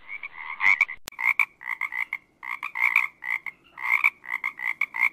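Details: Frog giving rapid strings of short, bright, nasal croaks in uneven bursts of three to six notes with brief pauses, plus a single sharp click early on.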